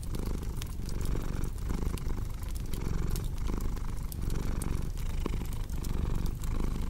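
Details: Low, continuous purring from a cat, pulsing gently in breath-length waves, partly masked by frequent snapping crackles of a burning fireplace.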